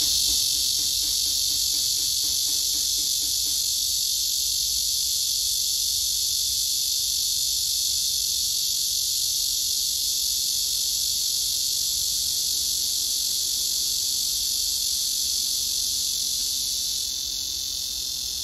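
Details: Summer cicada calling a serenade to a female on a tree: an intense, unbroken, hissing high-pitched buzz held at full strength throughout, over faint low background noise.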